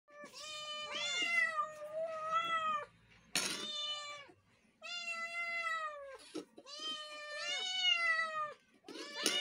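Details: Several kittens meowing indoors: long harmonic-rich meows, some overlapping, rising then falling, in bursts of one to three seconds with brief pauses and a sharp click near the middle.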